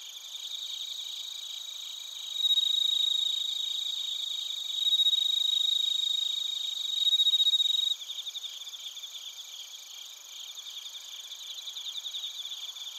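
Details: Crickets and bell crickets in Narita, Chiba Prefecture, Japan, captured with a TASCAM Portacapture X8: a loud, pure, sustained high ringing note over rapid pulsed chirping, swelling in steps, then cutting abruptly to a softer, evenly pulsing chorus.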